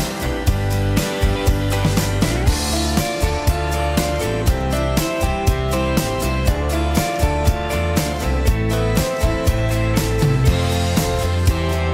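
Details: Loud band music throughout, with a steady drum beat about once a second, bass and guitar, and no animal voice.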